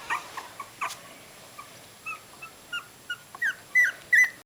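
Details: Puppies at three weeks old with eyes open, filmed 27 December 2008, give sparse short squeaks, then louder rising whines spaced about every half second toward the end, over quiet background hiss.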